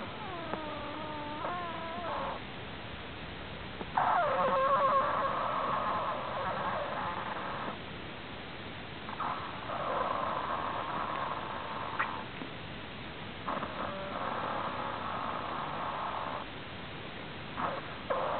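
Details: Sleeping prairie dog with an odd snore: a few squeaky harmonic notes at first, then long raspy, buzzing stretches of two to four seconds each, repeated with brief pauses between them.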